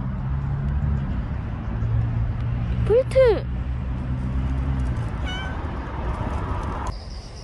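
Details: Stray cat Bolt, in its last filmed moments after a year and five months of visits: one clear, arched meow midway, then a brief faint cry, set against low traffic-like rumble and a quiet background.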